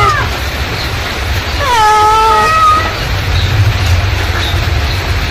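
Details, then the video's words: Mother cat calling: one clear, prolonged meow that holds steady then fades, preceded by a brief faint cry, over persistent low engine-like rumble. "suara induk kucing memanggil"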